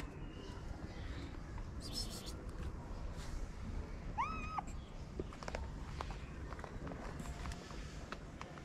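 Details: Homeless female street kitten in Morocco, fed daily and now climbing onto her feeder's lap, gives a single arched, harmonic meow midway, rising then falling, over soft rustling, light footsteps and faint outdoor background.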